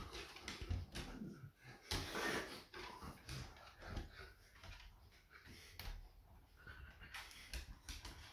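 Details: Smudge, a female pet Beagle indoors, barks and raises the alarm because she senses her owner is nearly home from surfing. Short, rough, broadband barks and whimpers come in irregular bursts in a small room.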